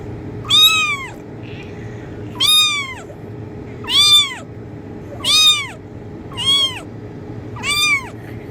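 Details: Kitten meowing, offered as a sound to attract cats: six high, arched meows, each rising then falling, spaced about every one and a half seconds over a low steady hum.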